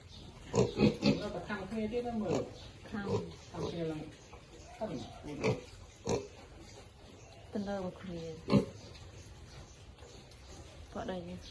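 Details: Baby pigs feeding let out brief falling squeals and grunts, scattered singly every second or two, with a few sharper clicks in between.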